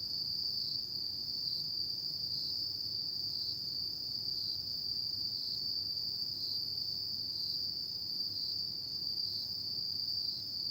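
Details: Insects singing on an autumn night, one continuous piercing trill with small regular dips in loudness, steady low-frequency ambient hum beneath.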